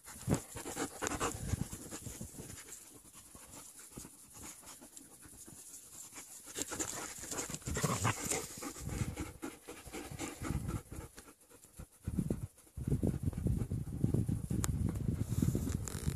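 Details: Young German Shepherds at play, panting in quick irregular bursts of breath, loudest near the start and again toward the end, with rustling and scuffling of movement throughout.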